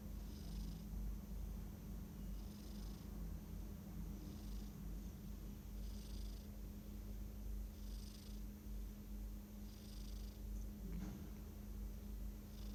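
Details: Dozing house cat giving gentle, rhythmic, hissy snores roughly every two seconds, with a steady low hum underneath and a brief click near the end.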